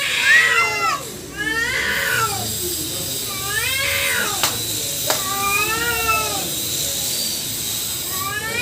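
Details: Two female cats squaring off with a black male cat: repeated arching caterwauls, each a second or so long and sliding up then down, with a couple of sharp clicks between them.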